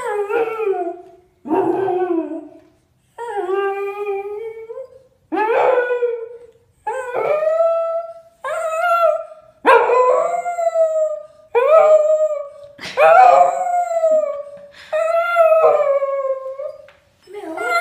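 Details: Spaniel dog singing: a run of drawn-out, wavering howls, each about a second long, dipping then rising in pitch with a yodelling quality, repeated roughly every two seconds with short breaks between.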